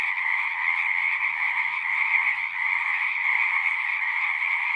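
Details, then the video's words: Frogs singing in a natural setting, a dense unbroken chorus of overlapping trilling calls forming steady bands of sound, with no pauses and no other clear sounds. "One hour of singing frogs."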